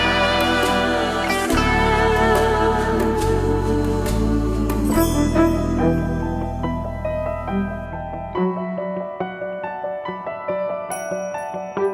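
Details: Gentle new-age music with slide guitar over sustained low chords that thin out to sparse notes, with no animal calls.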